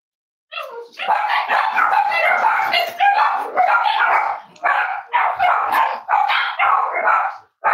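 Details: Cavalier King Charles Spaniel puppies at a breeder's home, several barking and yapping almost continuously in loud overlapping bursts with only brief pauses.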